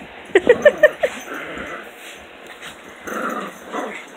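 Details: Morning playtime between puppies: a quick run of five high yips, then lower rumbling growls with scuffling, and a brief rise in growling near the end.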